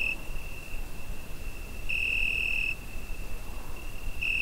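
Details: Cricket on a summer night, recorded with a Zoom H5: a steady high-pitched trill that swells into brighter bursts of under a second, over a low hum of background noise.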